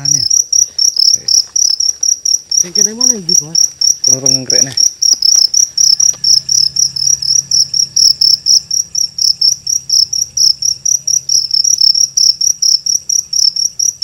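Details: Large cricket caught on a night cricket hunt in Indonesia, chirping loudly in fast, high-pitched pulses about three to four per second, steady throughout, with men talking in low voices during the first seconds.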